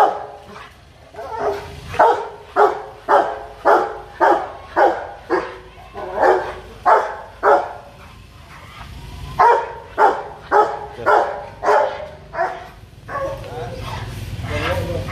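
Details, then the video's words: Aggressive Rottweiler Loki, worked up and hostile, gives threatening barks in long runs of rapid, evenly spaced woofs, around two per second, with a brief pause midway and a low rumbling background toward the end. "Tiếng chó sủa đòi|Khi chó Rottweiler hung dữ|Barking dog"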